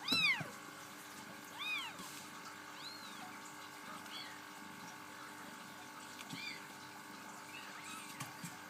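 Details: Bengal kittens from a first litter of seven, four female and three male, give high, rising-and-falling mews, several short calls spread through the clip over a steady background hum.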